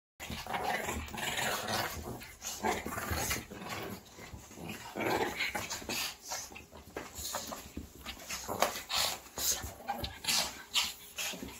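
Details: Small dogs, Shih Tzus, yap and growl in rapid, overlapping bursts, several barks each second in a lively chorus.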